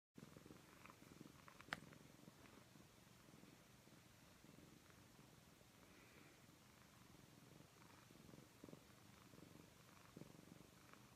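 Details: Persian cat named Graveskull purring while massaging her human's back; steady low rumbling purr throughout, with a faint click near the start and quiet room background.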